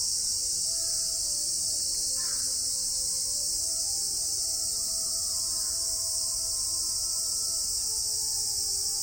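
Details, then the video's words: A Japanese cicada (semi) gives a steady, high, hissing buzz that runs unbroken through the whole stretch; it is a sound of summer in Japan, with males calling loudly from trees in the mating season. "Sound of summer in Japan; Japanese cicada: the semi-bakudan"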